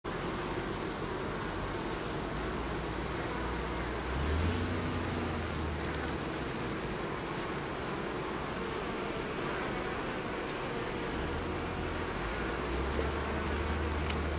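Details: Western honey bees at a hive give a dense, steady buzzing hum with a deeper drone swelling in and out; the video notes a death's-head hawkmoth attacks hives.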